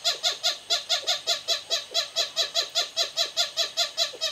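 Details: Lesser galago, Galago moholi, one of two families living in a thatch roof at Raptor's View Wildlife Estate, Hoedspruit, South Africa, in the evening when a rival family used the same path. Rapid harsh repeated calls, about two or three per second, steady and loud.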